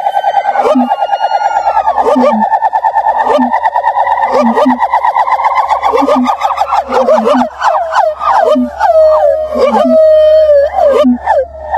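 Gibbons sing loud, siren-like whooping notes that quicken and climb, then break into swooping rising-and-falling cries.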